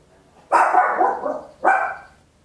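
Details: Little Papillon dog at home giving a long, drawn-out, harsh bark followed closely by a shorter one, loud and close, recorded in stereo on an Olympus LS-11.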